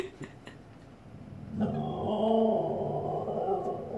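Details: Female Siberian Husky indoors, barking at her own reflection in a fireplace: after a quiet start with faint voices, a drawn-out, wavering harmonic howl-like cry begins at mid-clip and carries on to the end.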